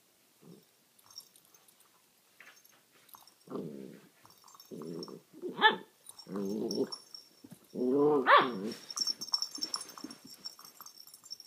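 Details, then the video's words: A nine-week-old male Alaskan Malamute puppy, playing with a cat toy and "talking" to it, gives a run of short, throaty grumbles and woo-like yowls. "Alaskan Malamute puppy playing and talking!"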